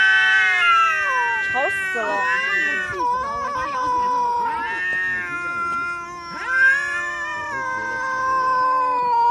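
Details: Kitten in a household producing drawn-out, quavering meows with sliding pitch, overlapped by a person's voice and some wobbly vocal sounds mid-clip.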